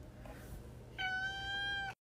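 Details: A cat gives one clear, steady, drawn-out meow lasting about a second, rich in harmonics and level in pitch, after a quiet stretch of faint room noise.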